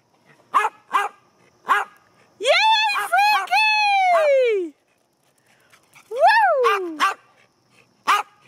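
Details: Five excited dogs in a car on a short drive to a local park, first ride in weeks; sharp barks, then long high whines falling and rising in pitch, with a woman cheering and talking between.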